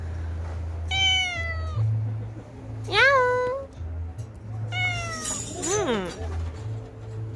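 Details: Domestic cat meowing indoors: three separate meows over about seven seconds, each a clear harmonic call that starts high and slides downward, the second short and sharp, the last more drawn out, over a steady low hum.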